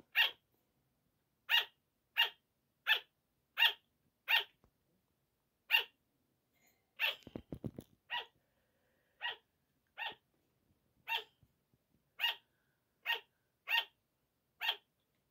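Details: Sugar gliders barking at night as a 5 am wake-up call: short, sharp, high yaps repeated in an uneven series, roughly one to two per second, with a brief burst of low rustling or knocking midway.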